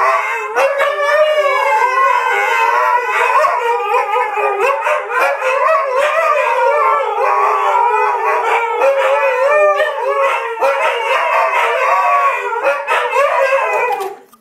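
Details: Three Siberian Huskies howl and yodel together in a continuous, wavering, rising-and-falling song.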